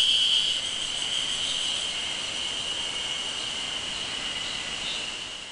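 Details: Ezo spring cicadas on Mount Moiwa, Japan, on 31 May 2012 fill the air with a steady, high, shimmering drone that hardly wavers.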